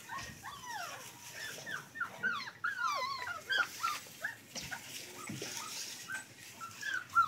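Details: German Rottweiler puppies whimper and whine in a chorus of high, thin, downward-sliding cries.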